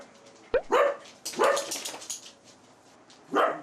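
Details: Four dachshunds of three generations (mother, father, son, grandson) bark at a visitor in sharp, high, ringing yaps that come in quick bursts and then pause, excited in a chaotic multi-dog household.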